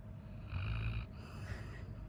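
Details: Coco, a male Labrador Retriever worn out after playing the whole day, snores loudly: a deep, rumbling in-breath swelling for about half a second, then a softer, raspy breath following.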